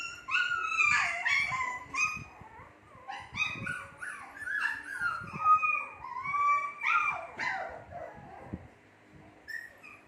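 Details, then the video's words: Shih Tzu puppies about two months old calling together: rapid overlapping high whines and yelps, some rising then falling, repeated in quick succession before tapering off into quieter whimpers. "SHITZHU PUPPIES MAKING NOISE"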